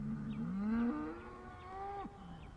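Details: A single upset cow moos in a sad way: a low, rising bellow that swells, then slides into a higher wavering tone and drops away at the end, over faint background hiss.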